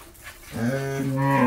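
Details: Jersey-Mundi cross cow, newly calved for the first time and with her bull calf, Pabna, Bangladesh: after a short hush, a deep moo begins and grows louder, rising slightly in pitch to the end.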